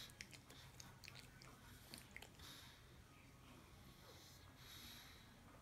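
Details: Sleeping Pug named Sarah, a female, curled in a swiped dog bed belonging to Poppy the poodle mix puppy, gives slow wheezy snoring breaths, hissing swells rising and fading, after a few sharp clicks, in a quiet room.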